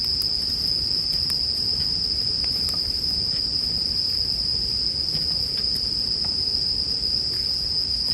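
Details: Bell crickets with a campfire, mixed as sleep background sound: a steady, high, ringing insect tone holds without pause over soft crackles and pops from the burning fire.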